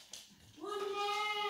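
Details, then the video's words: Dog howling as it does every day when its owner is gone: a brief soft sound, then a sustained, even, rich tonal howl starting abruptly and holding its pitch to the end, with a person asking where mama is. "dog howling, happens daily"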